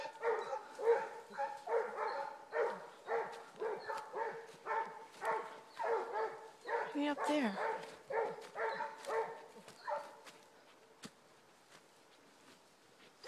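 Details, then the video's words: Two Basset Hounds baying while tracking a rabbit on the trail: a steady run of short, hoarse, harmonic bays, roughly two per second for about ten seconds, then fading to quiet near the end. "Basset Hounds on the trail - tried and ahrooooo"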